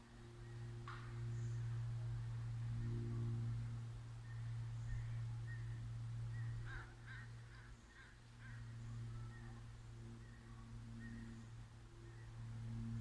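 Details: A dog left alone in a truck parked beside a library, barking for well over ten minutes. The distant barks come in short bursts, some clustered in quick runs, over a steady low hum.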